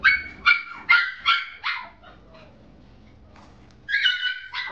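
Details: Brown female Chipoo puppy yapping: five quick, high-pitched barks about half a second apart, a short quiet gap, then two more shrill yaps with a faint whine between.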